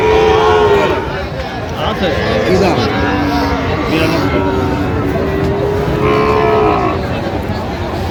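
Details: Sahiwal calf offered for sale at Raniganj market, Bangladesh; a drawn-out low moo opens, followed by fainter bovine calls amid constant talk and bustle of the crowded market.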